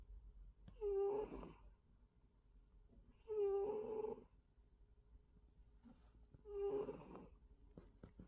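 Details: A sleeping pet cat snores with three rough, wheezy breaths spaced about every two to three seconds, each opening with a short tonal squeak before turning raspy, over a faint steady hum.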